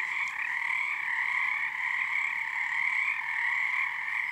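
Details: Part of a long night chorus of frogs at Frog Korner, Harstine Island, Washington, first full moon of their season; a packed, buzzing trill of countless callers, steady with slight rises and dips.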